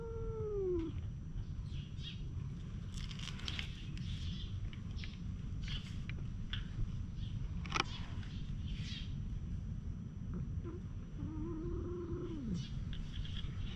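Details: Stray cats, which fight with each other and get petted on a bench, recorded with a GoPro HERO8: a drawn-out falling meow opens, and a second wavering meow comes near the end. Small birds chirp throughout over a steady low rumble.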